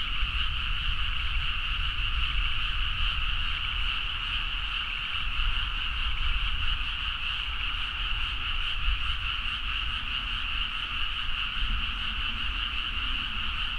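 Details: Frogs chorusing in the dead of night across rice paddies at Nagaoka, Niigata, Japan, recorded on a Zoom H4n; a thick, unbroken croaking chorus over a stronger low-frequency rumble throughout.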